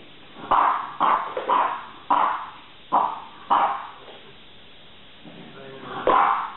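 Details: French bulldogs at home, sisters squabbling as the elder tries to get what she wants: a run of short, husky barks about every half second, a quieter grumbling pause, then one final bark.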